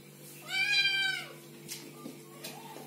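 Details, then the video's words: A single loud, drawn-out kitten mew with rich harmonics, arching up then down, followed by faint softer sounds and a steady low hum. "Little kittens meowing and talking"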